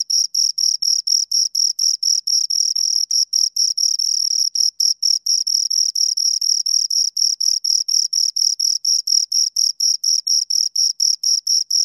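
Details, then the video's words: A pair of crickets gives rapid, high scraping pulses. The rhythm loosens in places, with pulses running together around the fourth second and a brief gap near the fifth, then the even beat resumes. The background is silent. "Two Crickets Chirp Sounds"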